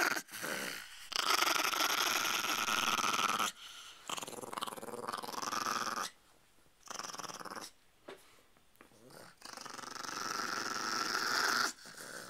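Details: Chihuahua puppy and a chihuahua pitbull mix indoors, one growling in long rough rattling bursts of several seconds, broken by short silences, while a woman softly urges the dog to be nice.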